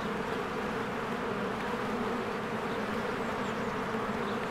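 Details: Swarms of honeybees working at their hive in spring, an even, continuous buzzing drone layered in several humming tones, no breaks, faint distant chirps barely showing above.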